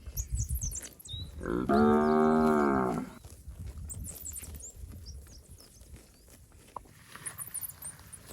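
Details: Fat, healthy village cattle roaming rice fields give a single loud moo of about a second and a half, rich in stacked harmonics, while small birds chirp high in the background.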